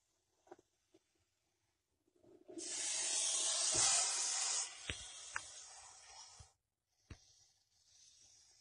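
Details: Venomous snake coiled near a water meter in Masis hissing: after a few soft knocks, a strong breathy hiss swells at about two seconds and holds for four seconds, with small clicks, then fades to a faint hiss.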